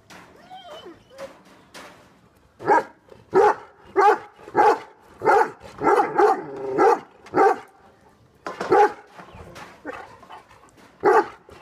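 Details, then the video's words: Two angry dogs, a Great Dane and a Rottweiler, bark steadily: a run of loud, hoarse barks repeating roughly every half second to second after a faint whining start, with brief pauses between bursts. "Angry dogs barking"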